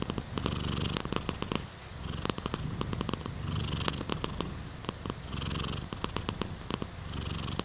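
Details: A cat's low, throbbing purr pulses in slow waves of inhale and exhale, strongest in the bass, while irregular crisp ticks and soft rainfall patter sit on top.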